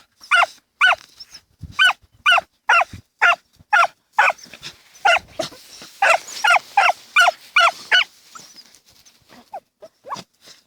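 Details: Autumn 2015 field digging by the Dachshunds Tasya and Kessi; quick, shrill barks repeated roughly twice a second in a long run, then softer scattered yelps trailing off.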